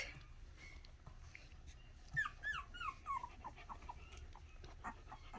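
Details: Miniature Australian Shepherd puppies indoors making noise: a run of high, falling whines and squeaks in the middle seconds, several overlapping, with quieter rustling and faint sounds before and after.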